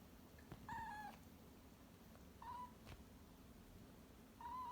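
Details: Rescued cat kept indoors, one of two at home, giving three short meows: two clear tonal mews close together, a pause, then a third starting the next series; quiet room with low background hum.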